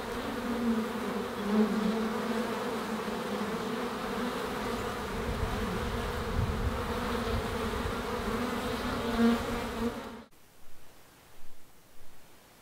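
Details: Honey bees humming at the hive, a steady low droning buzz with layered overtones for about ten seconds, then cutting off abruptly to quieter background noise with a few soft thumps.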